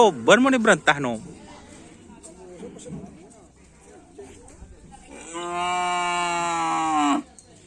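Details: {'caption': 'Racing bull at Karapan Sapi training in Asemanis, preparing for an event: a man speaks briefly, then a long, steady, level moo holds for nearly two seconds before stopping abruptly.'}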